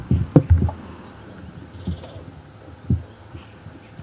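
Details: A lioness of the Nkuhuma Pride at Djuma Game Reserve gives deep, short grunting roars about a second apart while other pride lions also vocalize, on a morning drive on 1 July 2015 after the pride followed buffalo.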